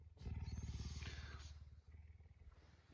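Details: Home-kept puma awake very early in the morning, waking the household; a strongly rhythmic low pulsing rumble, loud at first and fading over a few seconds, with a brief rustle near the start.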